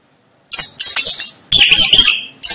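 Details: Mouse squeaking: loud, shrill, high squeals in sustained bursts, four quick ones after a half-second of silence, then a longer drawn-out squeal and the start of another, each slightly fading at the end.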